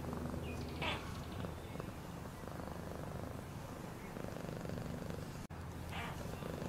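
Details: Low, constant purring from a cat, a fast vibrating drone with a brief sharp click near the end and a couple of soft higher rustles.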